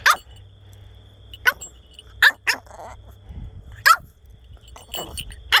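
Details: Pet French Bulldog acting fierce while being teased in play before bedtime; seven short, sharp barks with a harsh, yappy edge, given in irregular bursts over a few seconds in a quiet indoor setting.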